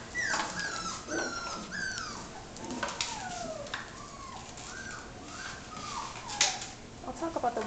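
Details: Almost six-week-old puppies from Biscotti and Leo's litter give repeated high whines and yelps that slide downward, several pups overlapping. A person's voice and soft rustling can be heard beneath them.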